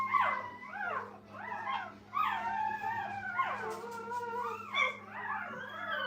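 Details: Brittany puppies beside their mother Minnie in a kennel; a chorus of overlapping wavering whines and whimpers, several cries sliding downward in pitch one after another, over a low constant hum.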